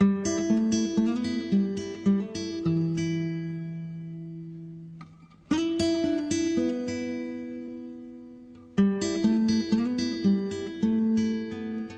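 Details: Acoustic guitar music plays throughout, plucked and strummed phrases with pauses between them; no animal sound is heard.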